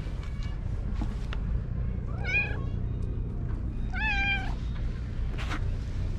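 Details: Cat in a park, meowing while purring: two short wavering meows about two seconds apart, over a constant low rumble and outdoor background noise.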